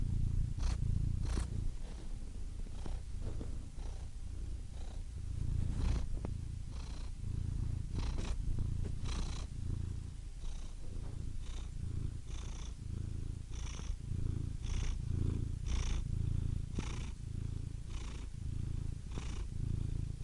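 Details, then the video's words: Domestic cat purring steadily and deep, a continuous low rumble with soft breathy rises roughly every second as the cat inhales and exhales; calm, relaxing recording with no other sounds. "Soothing Cat Purr Sound Effect"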